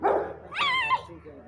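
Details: Rottweiler dog giving one short, strained, harmonic bark-yelp that rises and then holds steady, with a man's voice calling excitedly just before and after.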